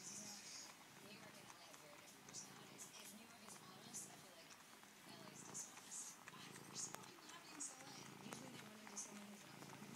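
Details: Maui, a female cat found outside a patio door, purrs while suckling and kneading her favourite blue-green blanket throw like a kitten. Low rumbling purr comes in rhythmic bursts about every second and a half. A faint indoor hiss runs underneath.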